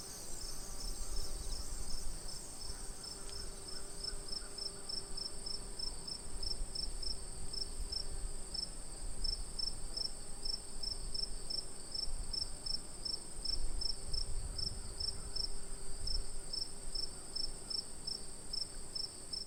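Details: Crickets by a tranquil pond give a high, rapid pulsed chirping in a regular rhythm over a continuous shrill insect drone, with a low rumble of outdoor noise underneath.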